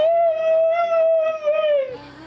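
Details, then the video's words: Three-legged male Siberian husky, indoors, ill with cancer, singing and talking to his owner: one sustained, steady, tuneful howl lasting about two seconds, sliding downward at the end, followed by an owner's affectionate voice. "Siberian husky sings and talks to his mommy"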